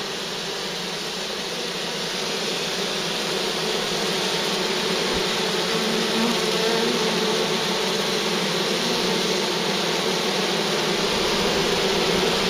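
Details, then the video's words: Big, very active bee swarm near a farm during collection, giving a continuous, even droning hum that holds steady and slightly swells throughout, with no other clear sounds. "Collecting a swarm of bees"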